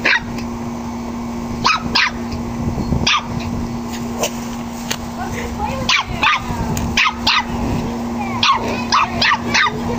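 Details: Nine-week-old puppy playing with a pug; scattered sharp yips and short barks at irregular intervals over a steady mains hum, with faint talking in the background.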